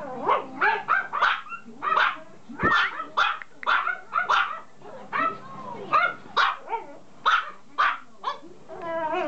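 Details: Toy poodle puppy barking rapidly, about a dozen sharp high yaps in quick succession with brief pauses, ending in a drawn-out whine.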